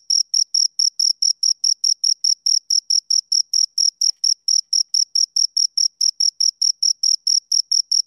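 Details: Two crickets chirping steadily, close up: sharp, high, pure chirps repeated about four times a second in an even, unbroken series, with a fainter overtone above; nothing else is heard.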